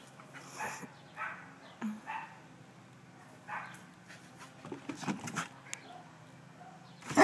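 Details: Two pet terriers at play, a 4-year-old terrier pestering a 9-year-old Cairn Terrier into playing: short soft barks and gruff bursts come every second or so, with a louder cluster near the end, and a person speaks.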